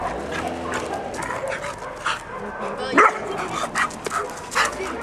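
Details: Ten-month-old male black Labrador Retriever mix with a white bib, a very playful young dog at a shelter awaiting adoption, gives a few sharp broadband barks around the middle and end while people talk in French nearby.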